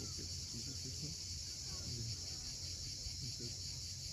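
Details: Sunset on the Crimean coast at Cape Fiolent, where cicadas make an unbroken, high, hissing drone; brief low chirps and a low rumble sit beneath it.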